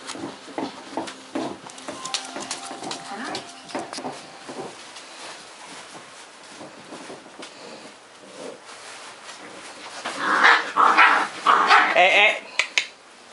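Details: Seven eight-week-old Cardigan Welsh Corgi puppies of one litter, born 10/29/10, playing indoors; scattered soft grunts and little yips, then a loud cluster of high, squealing yelps and growls near the end, with a person's voice in the background.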